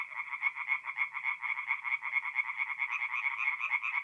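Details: Singing tree frogs at a forest pond by night in mid-April, North-East Italy, giving rapid rattling croaks that merge into a dense, pulsing chorus.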